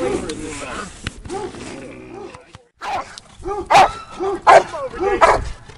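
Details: Doberman Pinscher in Schutzhund training, barking in short, evenly spaced bursts roughly every three-quarters of a second, with a handler's speech and praise over the barks.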